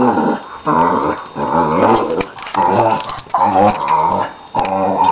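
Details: An older Lhasa Apso, nine years old, and a one-year-old puppy play-fight. Continuous snarling growls come in wavering pulses of about a second each, separated by short gaps.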